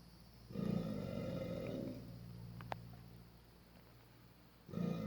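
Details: Angry alligator at Hoorah Creek, Florida, making strange noises: two loud, low, rumbling bursts with a harmonic buzzy edge, one about a second long near the start and another at the end, separated by quieter hum.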